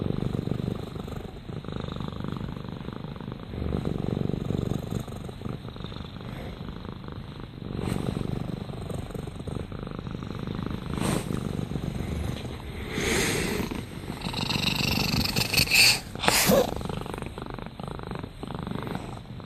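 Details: Rama, a domestic cat, purring in low rumbling swells with some faint clicks and rustling noises partway through.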